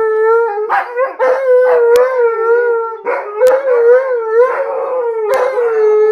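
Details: Three dogs, Alaskan Malamutes joined by a Blue Bay Shepherd, howling in chorus; sustained, gently wavering tones interrupted roughly every second by short rising yips and breaks, voices overlapping throughout.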